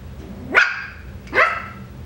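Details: Coton de Tulear puppy, part of a breeder's litter update, giving two sharp high yips about three quarters of a second apart, each rising quickly then falling, over a low steady indoor hum.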